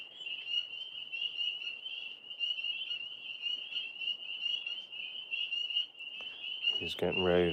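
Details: Frogs calling outside in a steady, high, trilling chorus that continues throughout. Near the end a loud, low, voiced sound from someone nearby cuts in over the trill.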